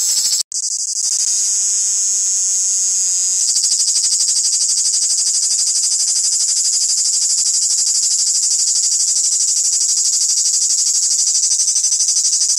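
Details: A live male cricket making his noise indoors: a continuous, very high, shrill trill of rapid pulses. It steps slightly lower in pitch after about three seconds, then holds steady to the end. A brief click sounds at the start.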